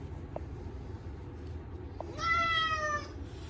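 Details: Short-legged Munchkin cat named Chacha crying loudly during his yearly bath, on a hot day, with catnip shampoo: one long, strained, slightly falling meow after a faint short sound, against low background noise.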